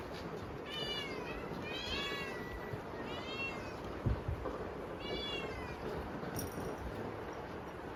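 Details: Hungry kittens meowing at dinnertime on a typhoon day, indoors with rain outside: several high, arching meows in quick succession, some overlapping, over a steady background hiss of rain.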